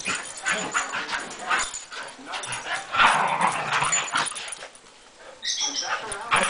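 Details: Two pet dogs playing together on a Sunday morning, giving rough, rasping growls and grumbles in uneven bursts, with scuffling noise and a brief higher yelp near the end.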